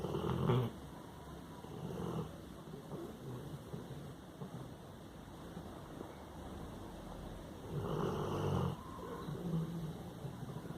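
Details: A Labrador Retriever named Hannah snoring while asleep, low throaty rumbles at the start and again near the end, separated by quieter breathing, with faint steady hum behind.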